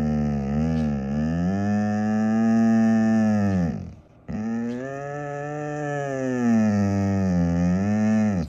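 A husky gives two long, deep, drawn-out vocalizations, a rough moaning howl that swells and fades.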